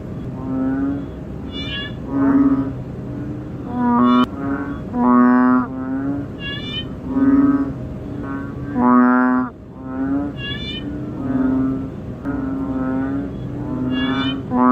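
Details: Banded bullfrog (ễnh ương) seen up close, its loud, deep, nasal moans sounding in bursts every second or so. Other frogs add rising, rapidly pulsed calls throughout this dense chorus.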